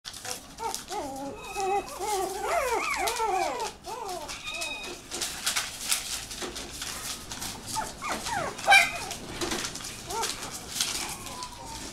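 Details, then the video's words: Shiba Inu puppy giving a quick series of thin, high, wavering whines that rise and fall in short arcs during the first four seconds, then a few fainter whimpers, with rustling and clattering handling noises throughout. "柴犬 子犬 shiba puppy"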